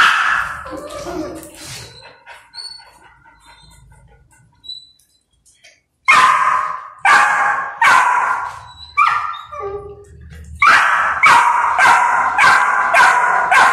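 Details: Adult mother dog correcting an aggressive, disrespectful golden retriever puppy, teaching it to be calm. A quiet stretch with soft whines gives way to a burst of loud, sharp barks, closely spaced and irregular, some with a rising yelp.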